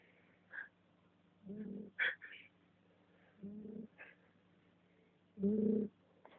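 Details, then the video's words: Susi, a female pet cat, snores in slow, gravelly low bursts roughly every two seconds, with light clicks and brief higher squeaks between breaths. "Gatinha roncando."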